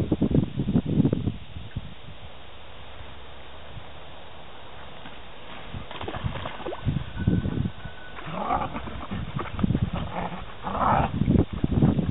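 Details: Piglets recorded in 2009: low rough grunting bursts at the start, a quieter stretch, then clustered grunts and higher tonal squeals near the end, with some faint background noise.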